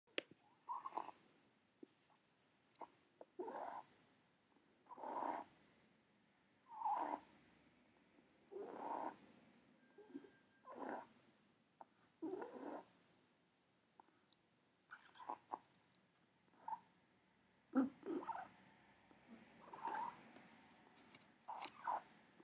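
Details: Female pet ferret suffering from a respiratory illness for about six months, breathing with difficulty indoors: raspy, wheezy breaths come in short noisy bursts roughly every one and a half to two seconds, with a few faint clicks between.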